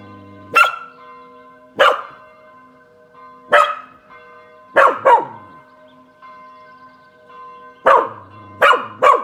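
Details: Reacting to church bells at 18:00 on a Saturday, Kasper the Spanish Water Dog barks from a sunny balcony; single and doubled sharp barks at uneven intervals against a ringing bell background.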